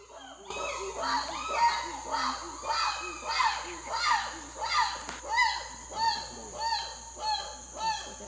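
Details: Several habituated chimpanzees at an island sanctuary in Africa give loud, boisterous harmonic hoots. The calls rise in pitch, repeat about every half second, and build in intensity over a faint background hum.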